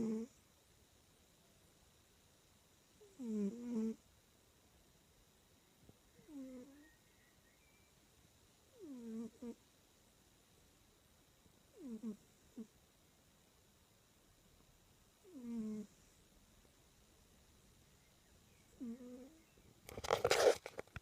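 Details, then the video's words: Sleeping domestic cat, twitching in its sleep, snores in soft voiced breaths about every three seconds. Each breath is a short nasal rasp with wavering tones. A louder rustling burst comes near the end. "snoring cat twitches in sleep"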